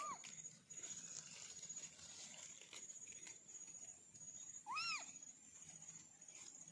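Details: Orange kittens from a family of four, one giving a short arched meow at the start and a louder rising-then-falling meow with clear overtones near the five-second mark, over a steady high-pitched whine and low outdoor rumble.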